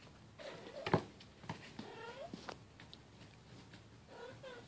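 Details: Bengal cats at family play: silver kitten Keylala with sister Luna and mother Xia. Several short harmonic meows come in scattered bursts, mixed with thumps and scuffling from the play.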